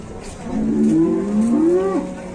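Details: Very large cattle being loaded onto a truck and made to get off again in Indonesia; a long, low harmonic moo rising and falling over about one and a half seconds, with background murmur of people and engine hum.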